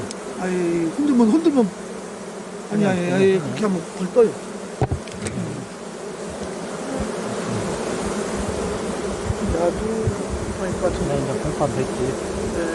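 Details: Honey bees in a beekeeping setting: after a few seconds of human voices, a dense, steady low drone of many wings holds for the rest of the recording, with faint background noise.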